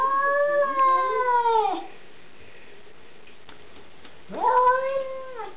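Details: Domestic cat at a window, trying to attack a dog on the other side, which is scared of her: two long, drawn-out wailing yowls, harmonic and slowly falling, separated by a pause, with music in the background.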